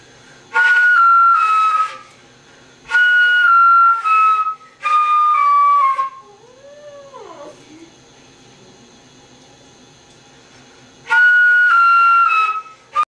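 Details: Squirt the cat howling in response to flute music scales: flute phrases of descending notes, then a long wavering, rising-and-falling howl in the pause, before the flute scales return.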